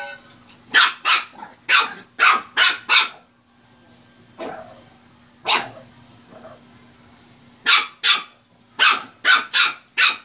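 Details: Shih Tzu puppy barking while playing, high sharp yaps in quick bursts of four to six, a pause with a softer single bark, then more rapid runs of yaps; steady faint hum underneath.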